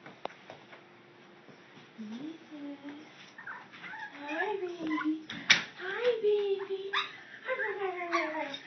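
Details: Teacup Chihuahua Reeses, a female pet indoors, greeting her owner on arriving home and showing she missed her: a run of high, tonal whimpers that rise and fall in short sliding whines, mixed with a person talking to her.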